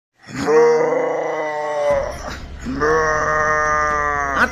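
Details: Cow being prepared for the Qurbani sacrifice, giving two long, loud, low moaning moos of about two seconds each, rich in harmonics, indoors with a slight pitch fall at the end of each call.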